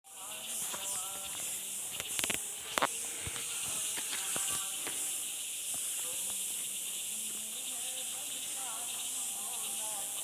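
A steady, high-pitched insect chorus hisses and shimmers without pause, with a few faint clicks.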